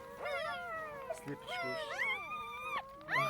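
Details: Puppies just two days old in a box make thin, wavering whines and squeaks, some sliding upward, while a person speaks nearby.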